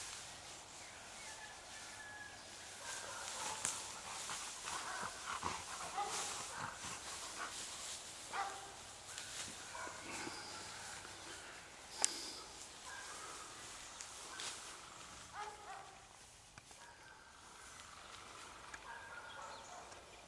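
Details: Maremmano sheepdog barking outdoors in a rural setting, sharp irregular barks coming roughly twice a second, some louder than others, over faint steady ringing tones and background noise.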